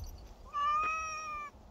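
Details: Domestic cat described as extremely dog-like, giving one clear, steady meow lasting about a second, a level harmonic tone with a slight swell in the middle, over a quiet room background.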